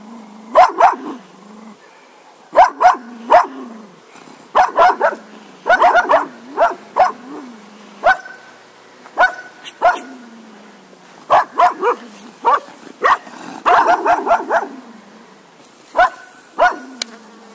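A Cocker Spaniel barks in sharp bursts, often doubled or tripled, with brief pauses between volleys.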